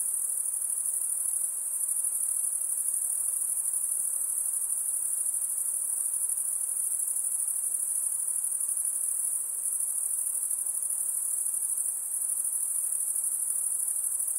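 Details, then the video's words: Insects buzz in a steady, shrill high-pitched band that continues unbroken for the whole stretch, with only faint soft background hiss below. "Relaxing high pitched INSECT sounds"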